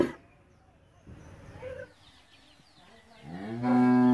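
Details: Bullock at an Indian cattle shed, recorded on CCTV while a farmer tends the animals. Soft rustling and faint sounds give way to a deep moo that begins near the end and grows steadily louder.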